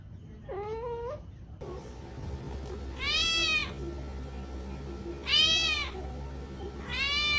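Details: Kittens at Reebonz Cattery give a faint short meow, then three loud, bright, drawn-out meows about two seconds apart over a steady low hum and a faint constant tone.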